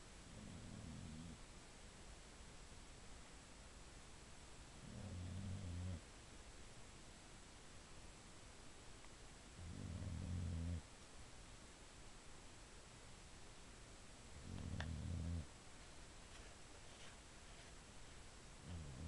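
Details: Sleeping female Boxer, a pet dog, snores steadily: four deep, grating rumbles spaced roughly five seconds apart, each lasting about a second, with faint room hiss and a soft click between them.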